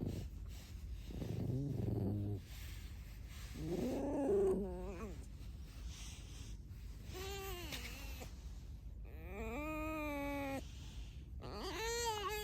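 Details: Alice, a pet red fox, squeaking with no other talk: drawn-out harmonic whines and squeaks, some rising then falling, in several bursts of one to two seconds over a low background rumble.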